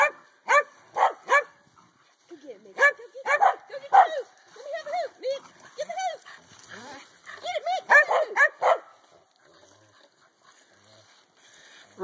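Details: Corgi playing with a hula hoop, bursts of quick high barks and some softer whining yips, with a person speaking in between and a quiet ending.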